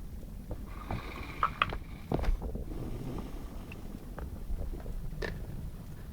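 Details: Saint Bernard named Lara asleep indoors, snoring: deep, rough low rumbling breaths with irregular snorts and short scraping or clicking noises.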